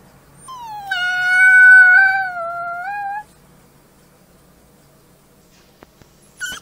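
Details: A gray wolf pup, finding its howl, gives a high, sustained howl that swells, holds steady and ends abruptly.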